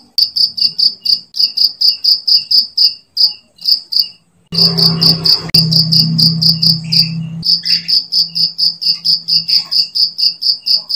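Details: Cricket chirping, used as a training sound for songbirds: steady series of short, bright, high pulsed chirps, several per second, briefly overlaid midway by a low hum and other noise.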